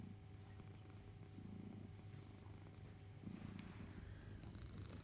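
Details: Barnaby the house cat purrs while suckling his teddy bear Boo: a soft, low rumble rising and falling in breath-paced waves, plus a brief high click near the end.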